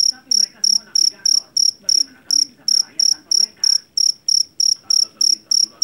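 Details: Shrill chirping of a field cricket known locally as jangkrik jeliteng or Javanese cricket, caught in a rice field; short ringing bursts come around three per second, with faint scattered background sounds.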